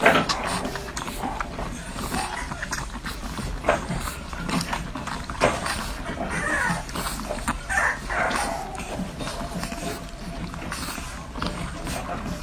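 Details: Newborn French Bulldog puppies suckling, recorded close up: steady clicking and gurgling with a few thin, arched squeaks standing out near the middle, plus soft rustling.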